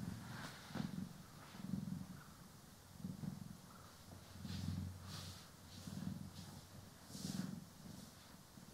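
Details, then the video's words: Pet cats Poki and Kiwi purr softly during grooming and brushing, recorded in stereo for ASMR. A faint low purr rises and falls in slow breaths, and soft hissing brush strokes sweep over it. "CAT ASMR | Purring, Grooming & Brushing"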